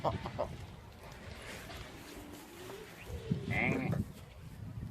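A goat gives a strained, wavering bleat while a person talks and exclaims nearby.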